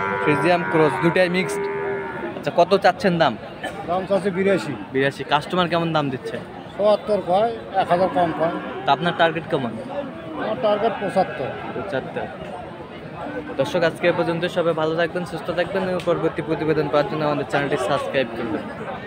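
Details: Friesian and crossbred bull calves at Aftabganj cattle market in Dinajpur, Bangladesh, on Saturday 18 March. Several deep, harmonic moos rise and fall and overlap, with busy market crowd chatter, knocks and clatter throughout.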